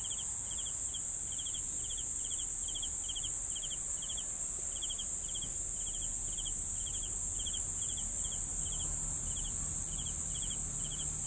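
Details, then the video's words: Several crickets chirping: a continuous shrill high trill beneath a repeated lower chirp of short pulse bursts, close to four each second, over faint low background noise. "CRICKETS SOUNDS"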